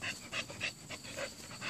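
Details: Female American Bully, nine months old, panting hard during rope play: fast, even, breathy huffs of about four per second, close and clear.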